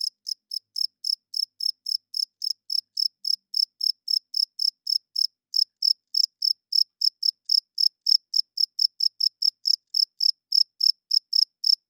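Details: Cricket chirping at night, a high, clean pulse repeated steadily about three to four times a second, each short chirp sharp and even, with a brief pause near five seconds; no other sounds.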